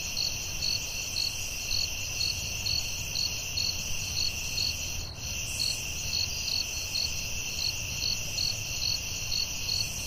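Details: High, continuous cricket trilling fills a forest at night, overlaid by regular bell-like chirps two to three per second; the sound briefly thins for a moment about halfway.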